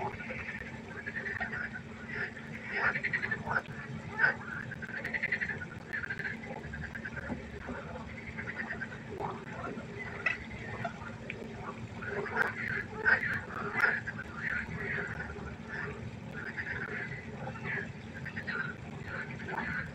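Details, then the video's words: Long stretch of frog chorus by a pond at night: many faint, irregular rasping croaks, roughly 85 a minute, rising and falling in intensity over a steady low hum. "1 Stunde Froschkonzert. Frosch Geräusche quaken. Frösche Geräusche Konzert"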